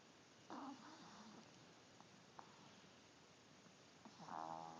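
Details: A chubby Chihuahua asleep and snoring: a nasal, buzzy snore opens the clip, a few soft snuffles follow, then a louder whistling, harmonic-rich snore near the end, all over steady indoor hiss.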